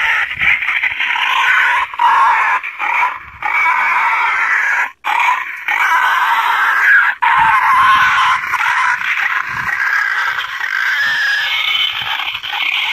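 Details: Boar squealing offered as a hunter's lure to draw wild boar to bait: long, rasping, continuous squeals with brief breaks, the tone wavering and growing hoarser toward the end.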